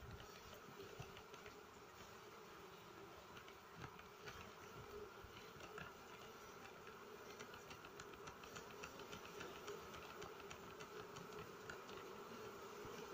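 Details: Smoked honey bees moving off their nest during harvest, giving a continuous low, even drone that holds steady throughout, with faint rapid ticking and rustling layered over the hum.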